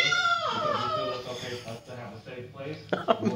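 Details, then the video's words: Seven-month-old blue-eyed white Persian kitten, male, crying for his mother in a Denver hotel room: a long descending whining cry, then short broken cries, with a woman reassuring him and music behind. "A Persian Kitten cries non-stop. He makes puppy's sound."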